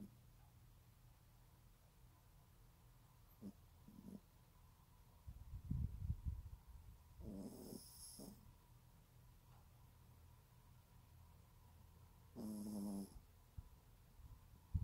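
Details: A teacup Yorkie asleep, its snores deep and grumbling, swelling into a run of rough low puffs midway, with two brief higher squeaky, nasal whistles breaking through on the breath.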